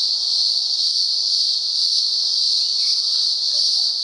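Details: A steady, piercing cicada drone in the upper Blue Mountains of Australia during daylight hours, nearly constant in volume, with a faint higher whine and brief soft chirps underneath.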